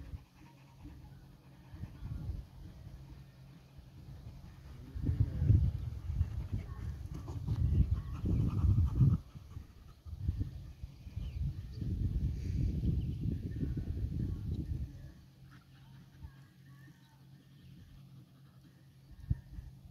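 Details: Three dogs rough-housing: Nix the Labrador, Lola the husky/shepherd mix and Happy the dachshund. Bursts of low, rumbling growls and huffing breaths come in two main bouts separated by quieter stretches.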